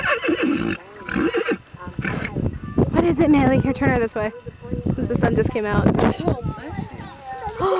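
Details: Percheron mare at a horse show calling her stable mates, loud wavering neighs with quavering falling whinnies repeated across several seconds, people talking nearby.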